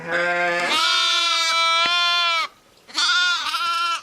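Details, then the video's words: Sheep and lambs: a loud, sustained, buzzy bleat of nearly two seconds, then a brief pause and a second similar bleat, both steady in pitch with rich harmonics. "SOUNDS OF SHEEP AND LAMBS"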